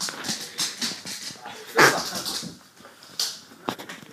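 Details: Huntaway cross dog reacting to a whoopie cushion: one short, harsh bark in the middle, set among scuffling and rustling noises, with faint speech in the background.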